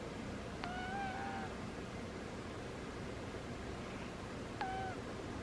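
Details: Sleeping domestic cat snoring with squeaky sounds: two thin, high squeaks about four seconds apart, the first drawn out and wavering, the second shorter, over a steady background hiss.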